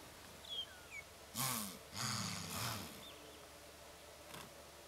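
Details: Wildebeest herd alarm calling in displeasure at a nearby cheetah family: a few loud, harsh, nasal snorting grunts in quick succession around the middle, with faint bird chirps early on and quiet open-air background.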